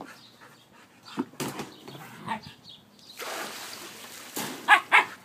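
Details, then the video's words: Siberian Husky playing, with a few soft grunts early, then breathy rushes of sound and two sharp high yips close together at the end. "Husky play"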